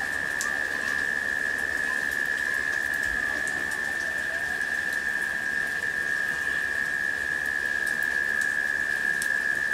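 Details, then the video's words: Cicadas in late summer during a rain shower, giving one steady, unbroken mid-pitched hum that holds level throughout, with the hiss and patter of falling rain and scattered raindrop ticks. "The Sounds of Rain and Cicadas"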